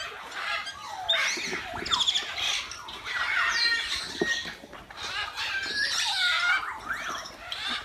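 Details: Captive meerkats at Lincolnshire Wildlife Park approach an unfamiliar cardboard box in their enclosure, giving a busy chorus of short harsh squawks and high chirps in bursts, with faint rustling underneath.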